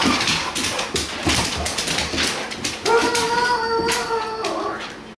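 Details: Pet dog whining while chasing light from a flashlight or laser pointer, the favourite game of a Doberman and an Olde English Bulldog. Scrabbling paws and clatter come first, then a steady, high, tonal whine holds for nearly two seconds.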